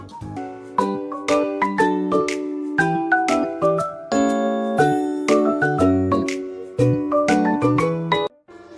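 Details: Bright tinkling chime-like children's music plays throughout, with a steady beat and no animal voice.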